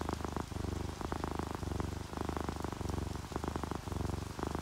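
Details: Purring from a contented orange tabby or calico cat at rest, a deep pulsing buzz that swells and eases in regular breaths, with continuous rainfall and drips in the background.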